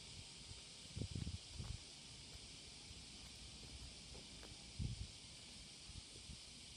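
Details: Morning cicada courtship chorus recorded July 30, 2017, an unbroken high buzzing hum with two bursts of low thumping or rustling near the start and end.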